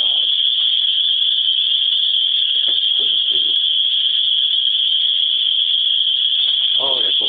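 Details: Swamp bugs, the cicadas of Griffith, Indiana, fill the air with a continuous shrill metallic drone at constant pitch, loud enough to bury a man's voice, which surfaces only in faint brief fragments.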